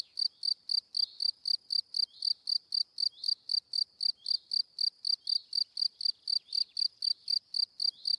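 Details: Insect chirping popularly named cri cri from a cricket, a high pulsing trill of regular chirps, close to four a second, steady for the whole stretch.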